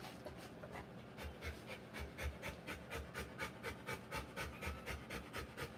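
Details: Rottweiler panting during the live birth of her puppies: rhythmic, breathy puffs slightly slower than two per second, evenly repeated across the stretch against low rumbling background noise.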